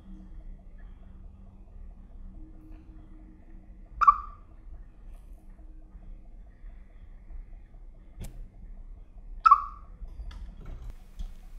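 A Siberian chipmunk gives two short, sharp chirps about five seconds apart over a faint indoor hum.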